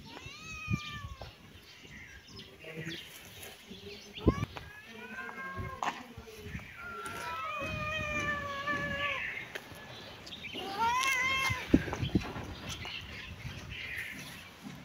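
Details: Kitten and cat playing in a yard; several high, wavering harmonic meows, some rising and falling, scattered through the clip amid rustling, knocks and faint voices.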